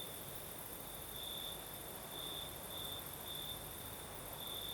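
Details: Crickets in the southern Crimean night, with a light night breeze: clear high trilled pulses arriving roughly every half second to second, set against a broad rushing breeze and faint high-pitched insect hum.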